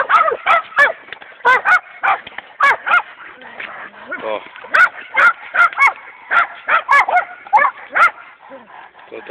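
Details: Attack training of Dogo Canario champions Hena and Dagmar: a long run of loud, rough barks, about twenty in nine seconds, coming in quick bursts of two or three with short pauses, while a man speaks in the background.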